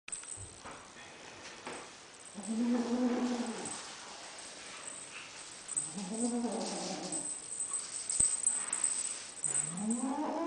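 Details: Female lilac Ocicat kitten, said to sound like a puppy, growling while possessive over a toy: three drawn-out, moaning harmonic growls of about a second each, rising and falling, separated by quiet pauses with faint rustling.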